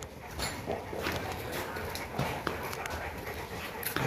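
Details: Boerboel (South African Mastiff) dogs kept as pets in Egypt; soft, breathy, irregular panting with faint whimpers over a steady noisy background, Arabic speech close by.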